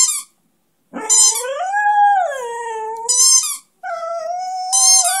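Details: Flash, a one-year-old Beagle-Schnauzer mix (Schneagle), sings along with his favourite toy, howling in long, wavering notes that rise and fall, broken by shrill squeaks.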